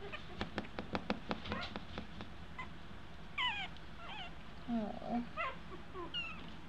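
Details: Young Eskie puppies, two weeks old and learning to walk, start with a run of soft tapping sounds, then give several thin, falling, mewing whines. A woman talks gently to them indoors.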